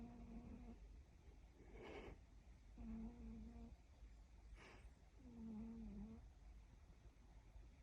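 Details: Snoring Siberian cat: three low, droning snores about two to three seconds apart, broken by two short breathy snorts or rustles between them, all against a quiet indoor background.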